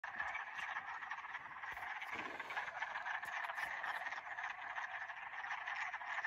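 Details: A dense spring chorus of frogs at Old Wadena in spring 2021, many voices blending into a continuous, pulsing trill.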